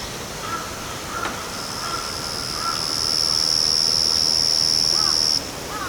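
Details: Yachisuzu cricket singing unseen in backyard grass: a thin, high, steady buzzing trill that swells from about the second second, holds level, then cuts off sharply near the end, with a fainter lower tone beneath.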